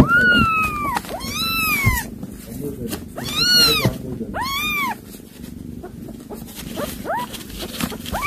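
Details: A mother cat that caught a mouse to feed her kittens, calling them: long drawn meows arching up then falling, about five in a row, followed by shorter chirping calls, with background rustling.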